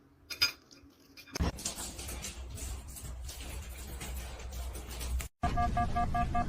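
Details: Light clinking like dishes, then a stretch of rumbling indoor noise, a brief cut to silence, and a burst of tonal music at the end.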